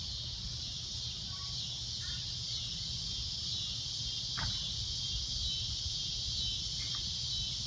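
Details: Cicada droning at sunset: a loud, shrill, continuous high buzz held steady throughout, with a few brief faint chirps from other creatures and a low rumble beneath.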